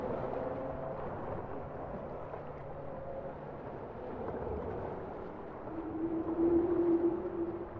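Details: Bowhead whale song: a steady low tonal moan swells near the end over a dense underwater hiss, with fainter held tones earlier in the passage.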